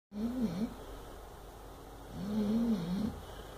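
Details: Sleeping 8-month-old Chow Chow puppy having a bad dream: two low, wavering whimper-like moans, each under a second, separated by a quiet breathing pause.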